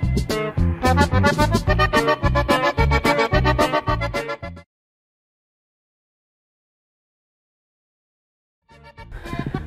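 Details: Lively accordion music plays, breaks into silence, then briefly resumes, with no animal sounds.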